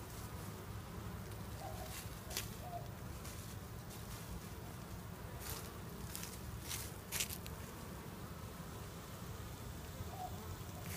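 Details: Hive of honey bees expected to swarm soon, half the colony leaving with a new queen; a continuous low buzzing drone with scattered brief tapping sounds and faint higher rustles.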